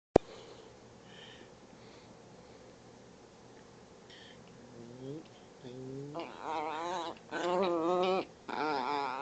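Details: Chihuahua playing in the morning, making funny noises: after a quiet start, low rising whines build into loud, wavering, warbling yowls in bursts near the end.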